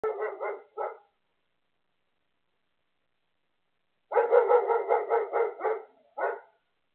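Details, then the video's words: Female dog barking at falling snowflakes during her first snow: a quick burst of four sharp barks, a pause of about three seconds, then a rapid run of around nine barks and one last bark. "Dog barking at snow flakes."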